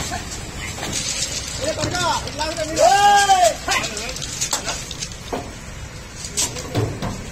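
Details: Buffalo calves being loaded onto a truck for transport after sale; one drawn-out, arched moo rises and falls near the middle, with voices, vehicle noise and clatter around it.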